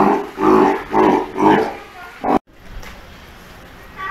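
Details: At Ise Sea Paradise aquarium in Japan, a roughly three-month-old Steller sea lion pup, cautious around staff, gives four rhythmic bleating calls about half a second apart before the sound cuts off.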